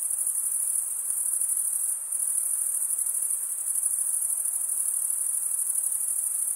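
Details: ['A steady cricket chorus, males chirping through wing stridulation, rings as a high continuous trill; it briefly softens near the two-second mark before resuming at full strength.']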